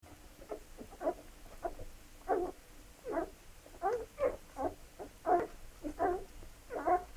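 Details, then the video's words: Labrador Retriever puppies at feeding time, giving a run of short, squealing whimpers that rise and fall, about a dozen yelps in quick, uneven succession with no other clear sounds. "Fütterung sämtlicher Raubtiere Labrador Welpen"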